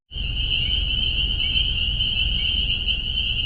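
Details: Spring peepers calling very loudly at one spot along a road, the first heard this year: a dense, unbroken high-pitched shrilling of countless overlapping peeps, with low rumbling background noise.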